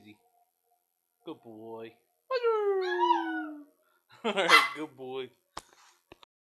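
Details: A howling Pomeranian reacts to his name with a short falling howl of about a second and a half, amid brief voiced bursts from people and a few clicks.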